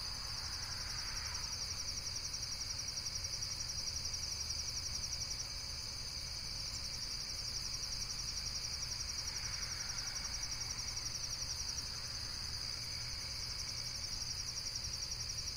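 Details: High, rapidly pulsing insect chirping carries on without pause, roughly four pulses a second, with a couple of brief faint rustles in the middle range and a steady low rumble behind.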